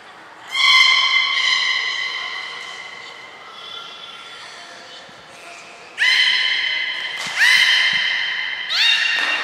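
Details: Belugas Gray and Mirai training at Port of Nagoya Public Aquarium on 15 June 2022: several loud harmonic squealing calls, the first held long, then three shorter bursts in quick succession near the end, in a large echoing indoor space.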